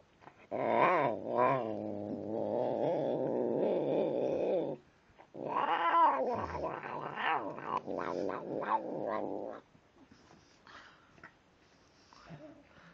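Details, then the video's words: Tim, a domestic cat who talks while he eats, gives long loud wavering growls with rising and falling harmonics, about four seconds each, then a quieter stretch of chewing. "Tim The Cat Who Talks Whilst He Eats"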